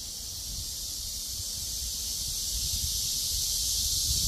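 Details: Cicada chorus in the breeze, a continuous high sizzling drone gradually building in volume, with a light rumble of wind underneath.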